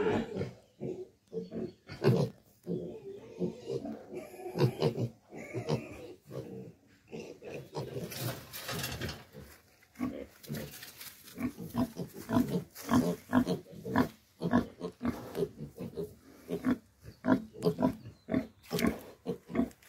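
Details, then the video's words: Pigs on a pig farm grunt in rapid, low, overlapping bursts through the whole stretch, short chesty pulses crowding together with only brief gaps between them. "Animal sounds, Dairy Cow,Pig Farming"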